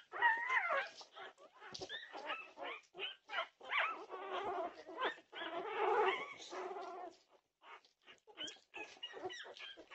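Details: Norwegian Buhund puppies raising a racket at 2:30 am on June 8, 2021: overlapping high whines and short yips, several voices crowding together with brief gaps near the end.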